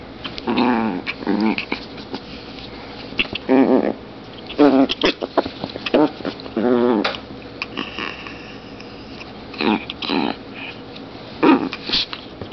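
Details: Zombie, a 2.7 lb long-haired female Chihuahua, playing indoors in a small room, letting out short harmonic growling yaps in bursts of about half a second, scattered across the clip between quiet gaps, with a human voice faintly mixed in.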